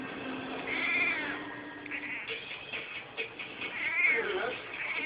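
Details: Male rescue cat, a former stray, indoors 'talking to the birds': two drawn-out, arching meows rising and falling, one near the first second and another near the fourth, over a faint steady low tone.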